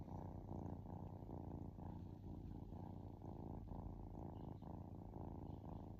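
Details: Contented kitten purring at rest, a dense low buzzing rumble that rises and falls rhythmically with in- and out-breaths, uniform in loudness across the whole stretch.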